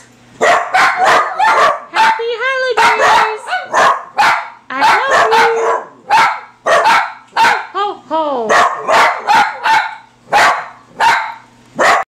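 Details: Several dachshunds (wiener dogs) barking at Christmas indoors: rapid sharp barks in clustered bursts, mixed with higher wavering yelps and whines, while a person speaks festive greetings between them.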